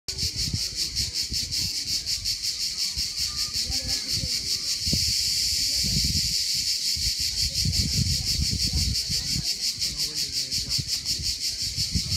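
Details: In a pine forest by the beach in southern Italy, cicadas, most likely Cicadatra alhageos, keep up a dense, high, shimmering buzz with a fast pulsing rhythm.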